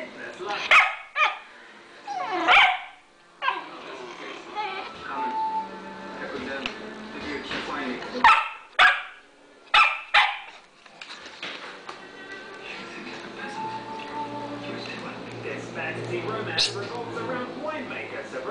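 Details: Pet dog, a female, begging for bacon and eggs at mealtime: loud abrupt barks in short irregular bursts early on, then quieter, with a person talking and background music throughout.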